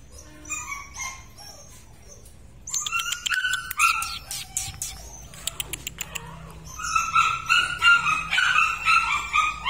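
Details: Purebred large-line Rottweiler; quiet whimpers, then a flurry of clicking and tapping noises with sharp yelps, ending in sustained high overlapping whines.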